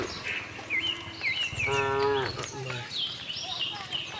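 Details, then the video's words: Cows on a cattle farm searching for green grass; one short moo in the middle, surrounded by several sharp whistled bird calls and light background noise. "cow mooing sound"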